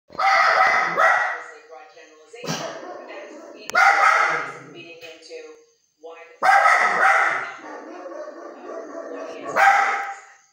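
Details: Xena, a pet Samoyed dog, barking indoors at a woman's voice on CNN, quiet when men talk; loud, harsh barks come in bursts spaced one to three seconds apart over continuous television speech.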